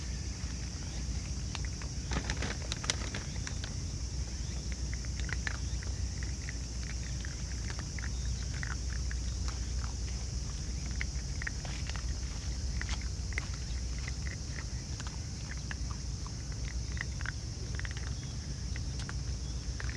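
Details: A family of raccoon dogs eating together, crunching food outdoors: dense, irregular dry clicks and crackles scattered through the whole stretch over a steady low rumble, with a few faint high chirps in the background.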